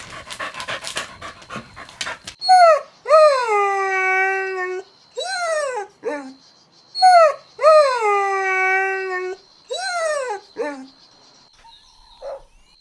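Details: Golden Retriever puppies playing outdoors on grass: after some clatter, long drawn, high whining howls that rise and then slide down, in pairs with short gaps, repeated several times.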